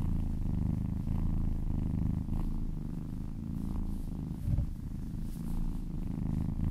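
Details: Purring of a contented domestic cat under a gentle massage: deep, even rumbling throughout, with faint soft touches and a small thump past four seconds.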